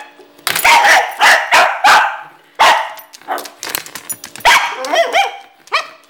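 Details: Pet dog that hates the door stopper spring, barking at it in sharp bursts. Loud barks come in quick succession, broken by the springy twanging boing of the door stopper.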